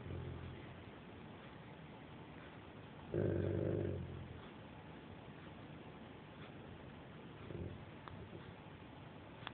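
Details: Franco, a pet Dobermann, gets upset at noise from outside, often people who tease him. One low, rough growling burst of about a second comes midway; the rest is quiet room hum with faint knocks.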